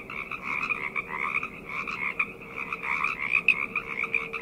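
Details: Frog chorus at night, a dense overlapping mass of croaking voices in two bright bands, one high and one lower, pulsing continuously with no gaps; a faint steady low hum runs beneath.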